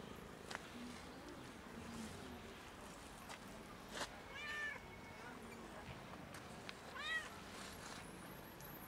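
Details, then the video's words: Outdoors, a cat sitting on a bench after following someone gives two short, soft meows several seconds apart, each with a slight rise and fall, amid steady background noise and occasional clicks. "This cat followed me and sat on a bench meowing loudly"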